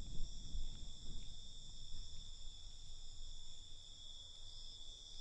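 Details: Crickets at night: steady, high, shimmering chorus of several layered tones running without a break, over a loud low rumble of background noise.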